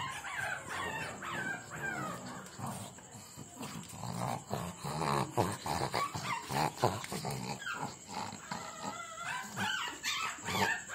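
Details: Puppies yipping and whimpering in a busy jumble of short high cries, some rising and falling, overlapping one another with scuffling and a steady high whine in the background.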